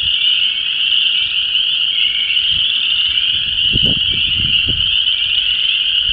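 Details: Chorus Frogs, Spring Peepers and Wood Frogs calling for mates in a disturbed ephemeral depression in Vermilion County, Illinois: a dense, continuous high trilling and peeping chorus, with low gusts of wind rumbling through the middle seconds.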